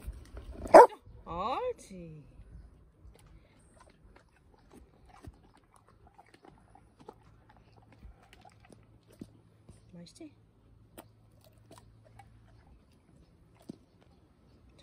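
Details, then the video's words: Labrador Retriever barking on command during a training session, before eating cucumbers and cabbage: two loud, short, harmonic barks in the opening two seconds, then near-silence with faint scattered clicks and a low steady hum. "기다려, 짖어 하고 오이, 양배추 먹는 리트리버"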